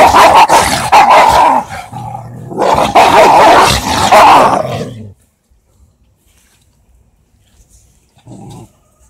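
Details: Dogs fighting, an Indian pariah mix and a German Shepherd, after one dog came and attacked the other: dense, harsh overlapping barks and snarling growls for about five seconds, then near silence with one brief low growl near the end.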